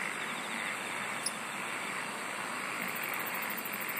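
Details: Insects singing in a dense, steady night-style chorus: a continuous shimmering hiss with faint pulsed trills high above and a short high buzz near the middle, over a low, even wash of background sound.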